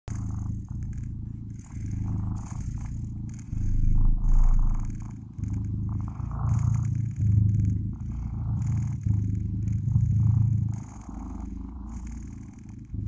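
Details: Blue British Shorthair kittens purring steadily, a low continuous rumble with pulsing rises and falls in loudness over several seconds, slight rustling and handling noises above.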